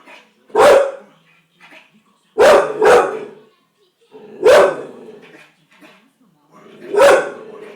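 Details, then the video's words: Agitated Bull Terrier dog barking in a fit: loud, rough single and double barks spaced roughly every two seconds, with quieter sounds between them. "chien qui aboie !!"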